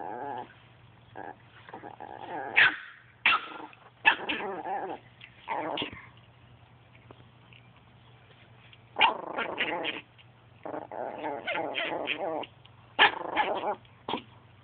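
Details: Chihuahua playing with a Boston Terrier: rough bouts of growling and snarling mixed with short, sharp yaps and barks, the bursts separated by quiet gaps of a second or more, over a steady low hum.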